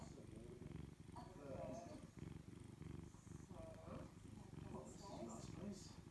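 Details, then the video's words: House cat relaxing on a Saturday morning, its purr a dense low vibrating drone that holds steady throughout, with several bursts of people talking on top. "The Kitty enjoying Saturday morning and purring"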